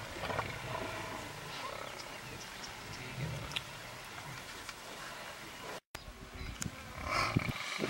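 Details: Lion from a wildlife film of lions facing buffalo. Low, rough roaring rumbles under a broad hiss of background noise. A brief silent dropout comes near the end, then a louder burst of sound.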